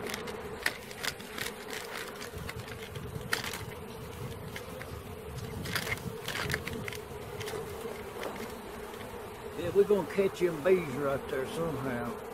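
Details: Bee swarm being caught, a steady low droning hum holding one pitch throughout, with a man's voice breaking in near the end and scattered rustles and knocks in the background.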